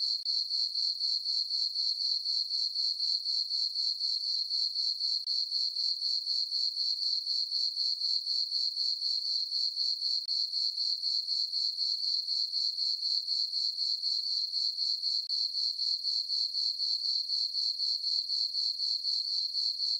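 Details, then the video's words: Crickets in a farm meadow on a peaceful summer night under a full moon keep up an even, shrill chirping that pulses about four times per second without pause, the only sound present. "Cricket chirping sounds for sleeping"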